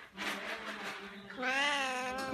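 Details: Pet cat meowing indoors in reply to a person asking if it wants coffee; a long drawn-out meow with a rising then falling tone follows a woman's question, clear harmonic stack.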